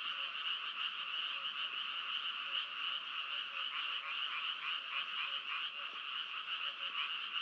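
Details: Frogs calling in a dense, unbroken chorus: many overlapping voices merge into a steady, high, rattling drone with faint pulsing. Volume stays even throughout, and no other sounds stand out.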